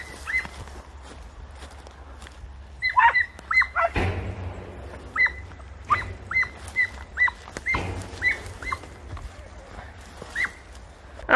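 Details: Podenco hounds hunting through bramble thickets in Campo Arañuelo give short, high yelping barks in quick, irregular bursts, with thumps and rustling between them.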